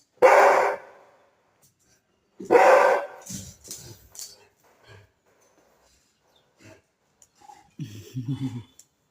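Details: Pet Labrador Retriever at home barking twice, strong harmonic barks about two seconds apart, followed by softer grumbles, quiet snuffles and low murmuring sounds near the end.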